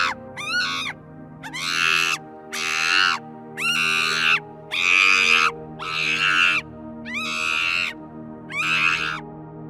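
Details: Monkeys, animals that usually live in troops; about eight shrill, screeching calls, each opening with a sharp upward sweep, repeated roughly once a second over faint background music.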